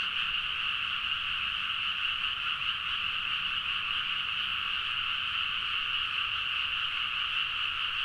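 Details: A great chorus of frogs in paddy fields at midnight, Nagaoka, Niigata, Japan, Zoom H4n recording: a constant, dense drone of countless overlapping croaks, steady in loudness from start to end.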